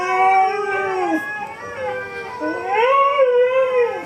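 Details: A Siberian Husky howls in long, wavering tones that slide down, then rise again, joining in while dog videos play on YouTube.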